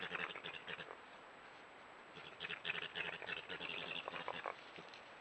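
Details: A young male European badger churrs on a trail camera in Ireland in February, the mating season: a rapid pulsing burble given as a mating call.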